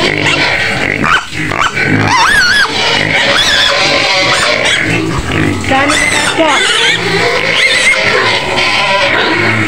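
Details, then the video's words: Penned white pig on Medan's outskirts, screaming to be fed: repeated harsh, wavering squeals with upward swoops, overlapping a person talking and faint music. "SUARA BABI PUTIH MENJERIT JERIT DI KANDANG"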